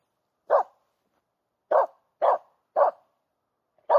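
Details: In a green, overgrown forest in mid August, a female Finnish Spitz barks at a squirrel she has found: one bark, a pause of over a second, then four quicker sharp barks.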